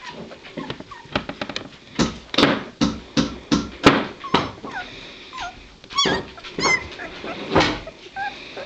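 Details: Two-week-old White Shepherd puppies from a litter, giving high squeaky whimpers and short yips in quick, uneven bursts, some notes sliding up and down, with soft shuffling and knocking in the background.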